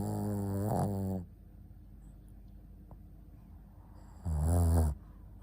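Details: Shih Tzu named Ponta asleep indoors, snoring in two loud harmonic-rich, low rumbling breaths about three seconds apart, with quiet room hiss between.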